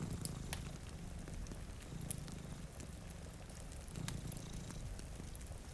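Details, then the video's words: Sleeping cat beside a rain-streaked window gives a low, continuous purr in pulsing waves, roughly three in six seconds, over popping fireplace crackles and gentle rainfall. "Purring Cat"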